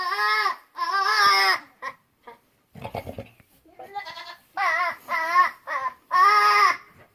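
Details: Buckling, a young male goat, making funny sounds: loud, quavering, harmonic bleats, each under a second, coming in bursts with short gaps, about five cries, with a brief rustle in between.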